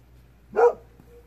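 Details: Golden Retriever at twilight barking in reply to faint, distant fox cries, whether answering or on alert; a single short, hoarse woof with a low hum in the background.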